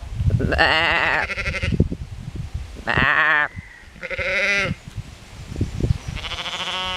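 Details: Sheep resting and standing in shade beside a ditch in a Dutch meadow, Hardinxveld-Giessendam, calling back to a visitor; several quavering bleats in a row, harsh and vibrato-laden, with low rumbling between calls.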